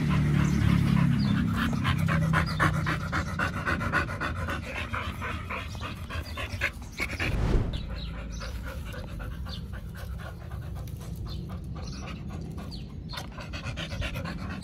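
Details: Pit Bull pair eating raw beef, duck and chicken at a dog hotel picnic, Chinese New Year 2021. Quick rhythmic panting runs throughout, briefly broken by a louder rustle midway, with faint music underneath.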